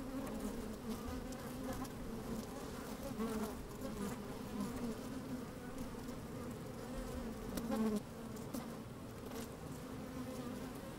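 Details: Colony of honey bees at work in a hive opened on a fine day, microphone inside: continuous droning hum in two stacked bands, a louder buzzing swell near eight seconds, and light crackling of bodies moving over comb.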